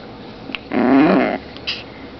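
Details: A single rasping, buzzy growl of about two-thirds of a second from Zombie, a 2.7 lb long-haired female Chihuahua at play indoors, wavering slightly in pitch, with faint clicks before and after.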